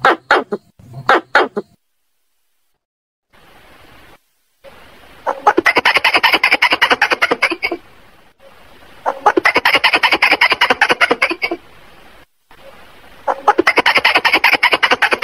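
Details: Squirrel; chattering call; calling to attract a female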